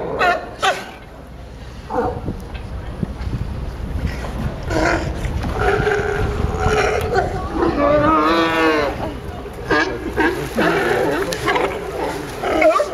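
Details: Sea lions at Pier 39, Fisherman's Wharf, San Francisco, give hoarse, honking barks in bursts, with calls overlapping from several animals.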